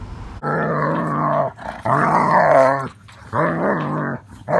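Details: German Shepherd dog on its first trip through a car wash, growling: three long, drawn-out voiced growls of about a second each, rising and falling slightly, separated by short gaps, with a person speaking nearby.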